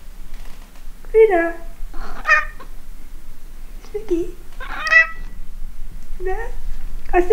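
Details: Indoor pet cat trading soft meows with its owner during an affectionate exchange, owner asking if it is hungry. Short chirped meows alternate with a person's speech, several brief calls spread over the clip.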